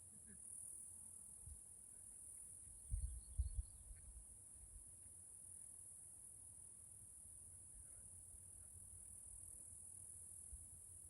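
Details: Cicadas in a forest in Washington State, Pacific Northwest: a steady, high-pitched, unbroken drone holds for the whole stretch, while low thumps and rumbles break in around the third second.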